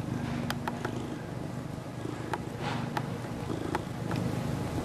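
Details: Toshiro, a 3-year-old male mackerel tabby cat, purrs while being rubbed and kneading his catnip-infused knit pillow: a low, steady rumbling pulse with scattered sharp clicks and rustles on top.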